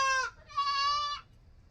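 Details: Close, loud cry of a young goat kid: a short bleat followed immediately by a longer steady one, both high and richly harmonic with a slight waver, ending abruptly over faint low background noise.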